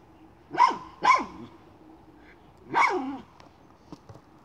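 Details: Miniature schnauzer barking while hunting a chipmunk: three sharp, high-pitched barks, two close together and then a third after a pause of over a second, followed by faint clicks and rustling.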